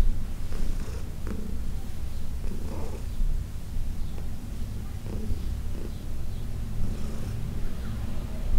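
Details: Heidi, a senior female domestic cat adopted from the Humane Society of New York City, purring while being massaged on June 17, 2021. A steady, deep, rumbling purr with soft rustling touches.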